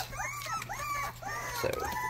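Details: Rottweiler puppies starting their first barks, heard as a string of high, arching yelps, each sliding up then down, several pups calling over one another indoors.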